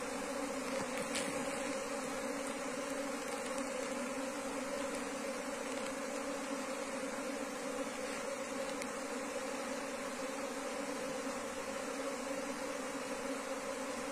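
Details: Wild Asian honey bees being moved from the wild into a cultivation hive box; a dense, steady humming drone with two low tonal bands holds unbroken throughout, thick with broad buzzing and faint clicks.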